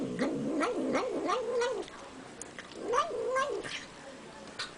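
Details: Cat eating sour cream and vocalizing as it eats: a warbling, up-and-down murmur lasting nearly two seconds, a pause, then a shorter rising and falling burst in a quiet indoor setting.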